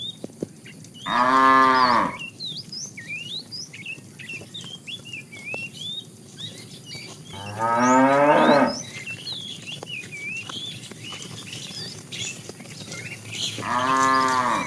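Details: Tame cows roaming a road looking for food give three loud harmonic moos, each about a second long, spaced several seconds apart, while many small birds chirp and whistle steadily in the background.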